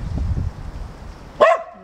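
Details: A mountain dog chasing squirrels near a fence and trees outdoors gives one sharp, loud bark after a stretch of low rumbling background noise.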